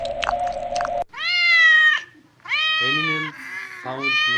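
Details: Domestic cat giving drawn-out, slightly falling meows, one long cry followed by shorter repeated calls, with a brief clattering noise at the start.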